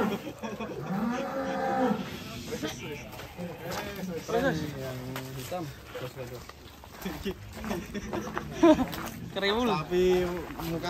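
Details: Sacrificial cattle loaded onto a truck in Indonesia, 2022: several drawn-out moos and lowing calls rise and fall amid a busy crowd of voices and handling noise.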